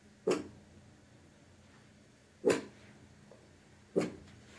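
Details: Small Maltese dog guarding the house against unseen threats, captured indoors with a phone: three abrupt, loud barks roughly one and a half seconds apart over a quiet background hum.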